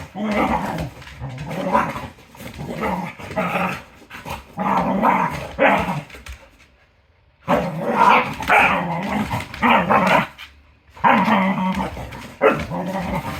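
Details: Cardigan Welsh Corgi female growling and barking in noisy bursts while playing with another dog, a fierce-sounding play vocalization, in clusters of about one to two seconds separated by brief pauses and a longer silent gap.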